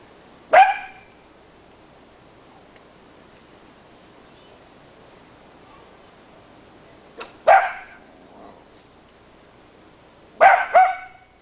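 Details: Miniature Dachshunds romping in plentiful winter snow; three short, crisp barks spaced several seconds apart, the last a quick double yap, with long quiet gaps between them.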